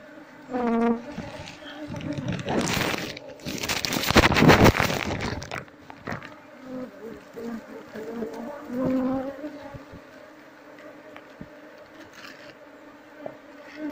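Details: Asian honey bees from a wild, aggressive colony buzz as their nest is harvested. A constant layered hum is masked for about three seconds by loud rough handling noise, then settles back into an even drone.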